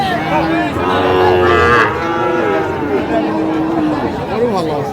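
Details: Young Sahiwal cattle at a crowded livestock market, Comilla, 10/5/25; a long, low, droning moo fills the first two seconds, then fades into market chatter and men haggling over price.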